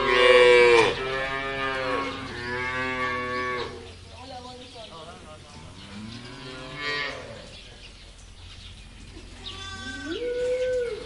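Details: A series of cow moos: a loud opening low, then several rich bellows of varying length, ending with a rising, higher-pitched moo; a quiet background.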